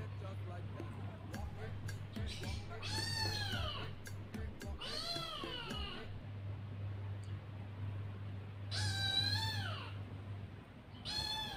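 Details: Young kittens calling: strained, drawn-out meows in bursts of two or three, harsh and wavering with rich overtones, separated by pauses, over a constant low electrical hum and faint background noise.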